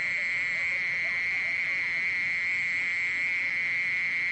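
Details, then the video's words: Steady, unvarying buzz of a singing mole cricket, from the National Institute of Biological Resources collection, 2020; a single sustained churring tone with no pauses. "땅강아지, 여러번 듣기, 곤충소리"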